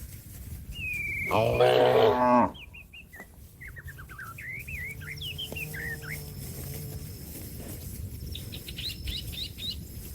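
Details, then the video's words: Cattle calling companions to return to the pen: one loud harmonic moo of about a second, followed by chirping birds with short twittering notes throughout. "suara sapi lembu memanggil kawan untuk pulang kekandang nya"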